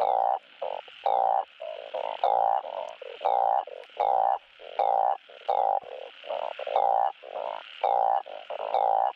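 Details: Asian painted frogs calling for mates, a recording played to encourage breeding on a frog farm: loud, nasal, honking croaks about half a second long, repeated roughly twice per second, several overlapping callers alternating.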